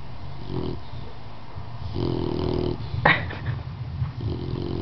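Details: Sleeping dog snoring deeply indoors, with low buzzy snores recurring every couple of seconds and a brief sharp rasping noise midway.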